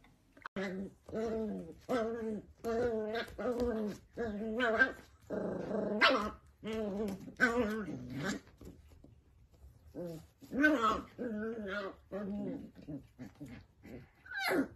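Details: Dachshund puppies in a compilation of funny moments: a run of short, harmonic growling barks and yips repeated about every half second, with a brief noisy burst midway and a quieter pause before the calls resume.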